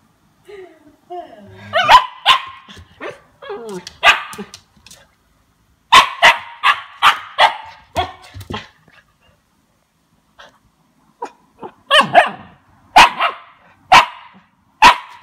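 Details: A 2-month-old Siberian Husky puppy gives a run of short, sharp yelps and squeaky barks as it tastes lemon for the first time, with a person talking.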